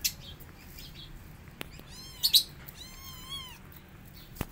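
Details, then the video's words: Five kittens pressing their upset mother cat to feed them; two thin, high mews with bright stacked overtones, the first short with a sharp peak, the second longer and gently wavering, over soft clicks and low background hum. "5 Kittens Forcing Mama Cat To Feed Them And She's Upset"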